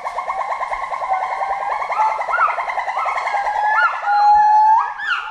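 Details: Several forest monkeys call at once in a dense chorus of fast, repeated warbling notes, about three per second, with looping, swooping whistles rising above them and a louder surge near the end.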